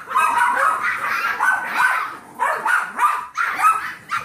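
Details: Yorkie foster puppies seven weeks old, played with by Trouble, a 15-week-old Golden Retriever mix. Several shrill, nasal yaps pile on each other in quick bursts, with brief dips between volleys.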